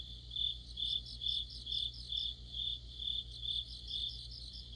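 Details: Deep-autumn insect chorus of crickets: clear shrill chirps in rhythmic bursts about twice each second, over a continuous faint high trill and a low droning hum.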